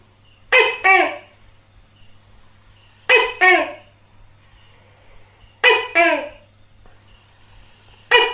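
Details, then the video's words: Tokay gecko giving its two-syllable harmonic call four times, about every two and a half seconds, the second syllable lower and trailing. A steady low hum runs in the background. "Hình ảnh & tiếng kêu của con Tắc kè || Gambar dan suara tokek || The image and sound of a gecko"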